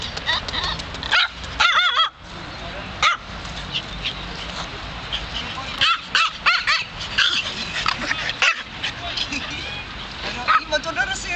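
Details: Pet dogs in Malta, a French bulldog and a small chihuahua in a tracksuit, give short high yips and a few curving whine-like cries amid frequent human talk, with brief loud bursts near the start and middle.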